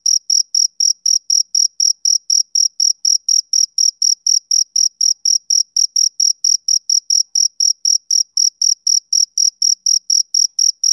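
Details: High, piercing chirps of a male cricket during a summer evening, repeated at an unbroken pace near four per second across eleven seconds, uniform in pitch and volume, in silence otherwise.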